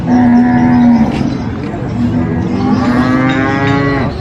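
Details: Big qurban sacrifice cattle at a market in Indonesia: a loud, level moo of about one second, a short pause, then a longer moo of about one and a half seconds over low crowd and market background noise.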